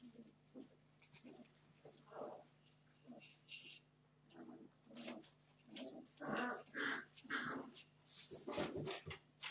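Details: Puppies 31 days old being naughty, giving short irregular yips, squeaky whines and small barks in scattered bursts, louder toward the end, over a steady low electrical hum.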